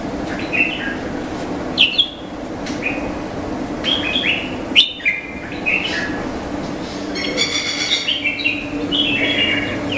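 A noisy chorus of Indian flying foxes: short, harsh, nasal squawks and squeals overlap in quick bursts from several animals. A steady low rumble runs beneath the calls.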